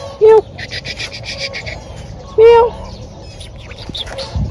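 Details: Found thin and crying, a kitten needing help gives two drawn-out, level mews about two seconds apart, with rustling, rubbing noise between them.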